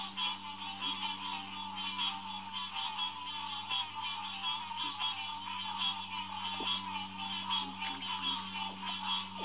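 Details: Green tree frog chorus, Hyla cinerea, at Headquarters Pond, SMNWR, on a June night in 2021 around 9:10pm. Dense massed calling runs throughout over a low steady drone, with faint scattered clicks.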